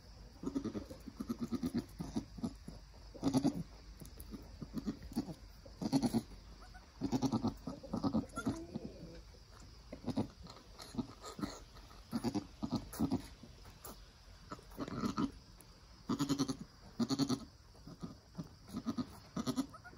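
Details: Nigerian Dwarf mother goat with her newborn doeling, just after birth as the kid stands and nurses, the doe encouraging her young: short, low murmuring grunts in irregular bursts throughout, some louder pulses every second or two.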